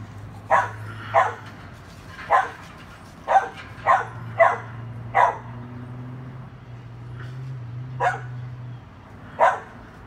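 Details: Dachshund barking while playing with a chihuahua: about nine sharp, short barks spaced roughly a second apart over ten seconds, some in quick pairs, over a low steady hum in the background.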